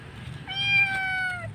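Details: Lone roadside kitten, possibly abandoned, crying loudly: a single drawn-out meow of about one second, steady then slowly falling, over low rumbling background noise.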